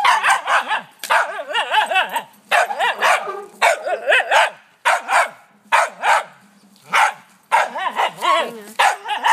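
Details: Oliver, a pet dog in a backyard, barking at a wheelbarrow: loud, harmonic barks in quick bursts of two to four, separated by short pauses, with wavering yelping tones between barks.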